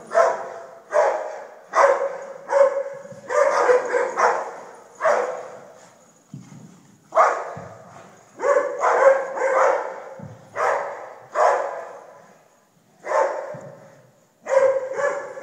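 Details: A long run of dog barking, around twenty coarse barks in clusters of two or three with short pauses, plus a few low thuds in the gaps.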